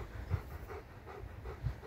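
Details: German Shepherd at play with a ring, panting in quick rhythmic breaths, five soft puffs in under two seconds over a low background rumble.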